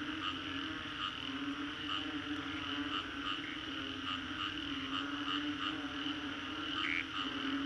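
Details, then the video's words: Post-storm frog chorus in Singapore's Green Corridor, a thick wall of overlapping calls with regular clipped notes pulsing roughly every half second over a constant drone, one sharper rising note near the end. "Frogs after Storm"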